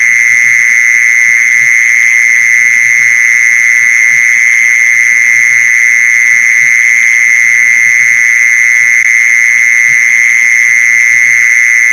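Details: Mole cricket call used for luring mole crickets: a loud, unbroken, steady buzzing trill at one even pitch with a thin higher overtone, lasting the whole stretch, over faint low tapping sounds.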